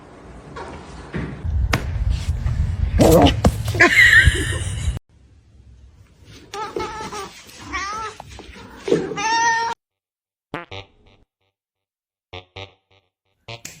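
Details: Domestic cat in a funny pet compilation giving several short harmonic meows, some rising then falling, after a loud burst of music and thumping; bits of speech and music around the calls, then a few faint clicks.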